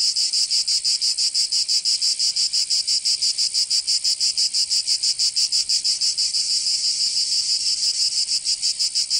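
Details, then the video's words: Provence summer cicadas in southern France: an intense, high, buzzing wall of sound throbbing in rapid regular pulses about three per second, becoming a little smoother toward the end. "Canto Cigarra 🦗 [ Escuchar les cigarras en verano"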